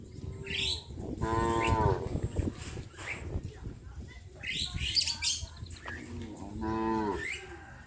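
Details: Livestock cows being herded into their pen by a farmer at evening, giving two drawn-out, strongly harmonic moos a few seconds apart, with faint bird chirps and general farmyard clatter between calls.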